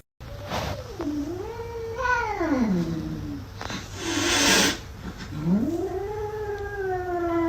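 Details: Domestic cat in a home, part of a funny cats and kittens compilation, giving long drawn-out yowling caterwauls that swoop down and rise again, three sustained wailing calls with rich harmonics, a burst of broadband noise in the middle.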